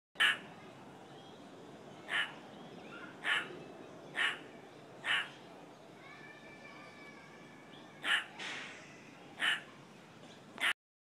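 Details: A vigilant meerkat at Adelaide Zoo in Australia gives short, sharp, harsh barks, repeated roughly every second or two.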